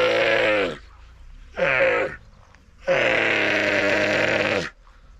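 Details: Young dromedary camel crying in northern Sudan: three loud, hoarse, harmonic groaning bellows, the last and longest nearly two seconds, separated by short pauses with faint background noise.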